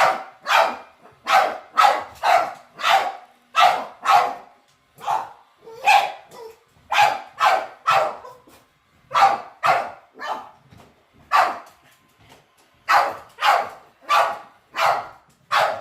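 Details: Domestic dogs seeing a robot vacuum for the first time bark in uneven bursts, clusters of two to four sharp barks separated by brief pauses, well over twenty barks in all.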